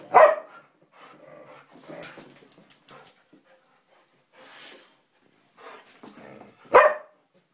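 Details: Play fight between a Samoyed and a Siberian Husky, with a sharp bark at the start and another near the end; between them come low grumbles, scuffling and clicking noises, and quiet gaps.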